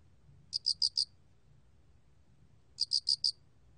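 A cricket gives short chirps of four quick, high, pure pulses, repeated about every two seconds.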